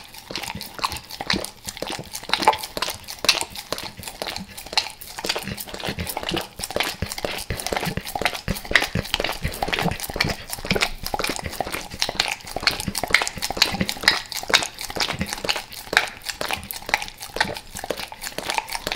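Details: Pet dog eagerly licking natural peanut butter and peanut butter oil, recorded close up indoors: wet, smacking, clicky licks in rapid, uneven succession, roughly two per second, continuing throughout.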